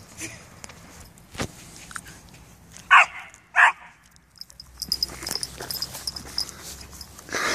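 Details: Three-month-old Bouvier des Flandres puppy named Wookiee together with seven-year-old Cavalier King Maggie; two sharp barks about half a second apart near the middle, then clatter, footsteps and indoor household noise.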